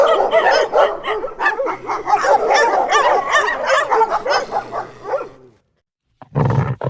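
A Rottweiler barks in rapid, harsh, overlapping bursts, broken by a brief pause.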